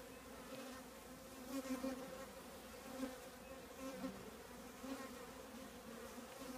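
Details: Hum of a honey bee colony in an old trash can: continuous low buzzing from many bees, with short louder swells as single bees zip past, about every second.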